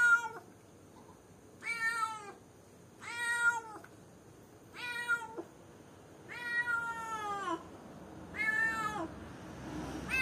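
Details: Lone cat in a cage calling for someone, meowing repeatedly: six or seven loud harmonic meows, each about half a second to a second long and falling at the end, spaced roughly every one and a half seconds.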